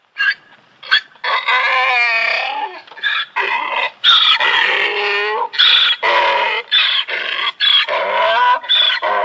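A donkey brays loudly, alternating harsh wheezing intakes with honking exhalations in a rhythmic hee-haw.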